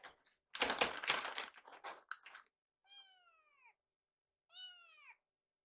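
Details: Hungry rescued kittens in a kitchen waiting for food, a burst of rustling and clatter followed by two clear, descending harmonic meows.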